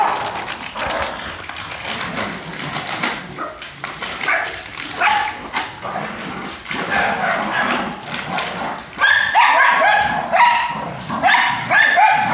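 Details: Jagdterrier in Brazil barking amid a noisy, crowded scene. Rough, overlapping barks run throughout, growing into sharper, higher, ringing barks in rapid bursts over the last few seconds.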